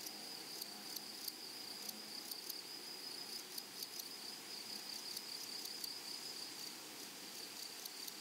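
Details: Meadow grasshoppers on a flowery prairie, a softer, steady high-pitched hiss with scattered brief ticking pulses rising above the continuous insect background.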